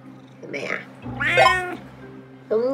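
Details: Domestic cat GorGor, jealous of his feline housemate, complaining in a series of wavering meows: a short nasal cry, a longer strained yowl rising and falling, then a fresh meow starting at the end, with background music and voices.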